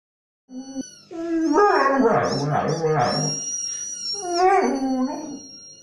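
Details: Young pet dog indoors reacting to a squeaky toy sound with a drawn-out, wavering howl-like vocal 'talking', pitch sliding up and down in tonal harmonics, with a thin high squeaky tone running alongside.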